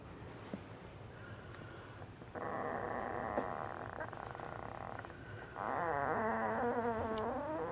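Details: Ten-day-old Asian Bear Dog puppies, an F1 Tibetan Mastiff and American Akita cross, litter of two males and three females: a droning harmonic grunt, then wavering, rising and falling whines continuing to the end.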